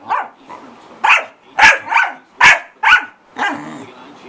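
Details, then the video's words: Corgi kept as a pet, noisy and vocal: a rapid run of about seven short, sharp barks, unevenly spaced roughly half a second apart, ending in a softer drawn-out whine. "corgi making a lot of noise!"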